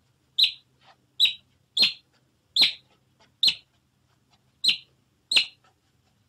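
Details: Otter repeating short, high-pitched squeaky chirps, about eight in quick succession with uneven gaps, over a quiet background.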